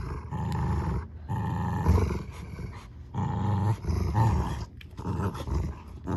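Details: Two dogs fighting a tug of war over a new toy duck, growling low and rough in long rumbling bursts broken by short pauses, with some scuffling noise.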